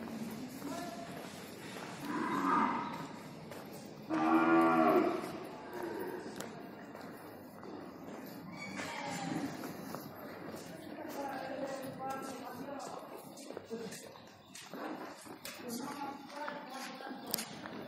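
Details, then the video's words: Sahiwal cattle at a desi cow farm, recorded 13 November 2019; a cow gives a loud drawn-out moo at two seconds and a stronger one at four to five seconds, followed by quieter lowing and farm noise. "Sahiwal cow"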